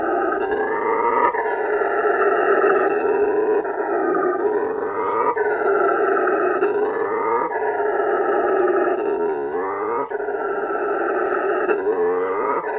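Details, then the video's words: A male howler monkey roars, a deep, rasping, continuous bellow swelling and falling in repeated surges, used to defend turf and attract females, audible up to 5 km away; howler monkey. "Hear a male howler monkey roar and watch what it means"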